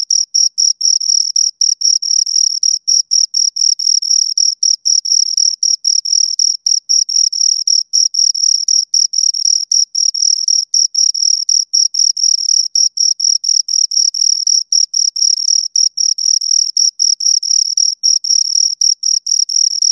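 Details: Close recording of two crickets stridulating in a long session; a shrill, high trill broken into quick pulses about four per second, steady and relentless, silent background.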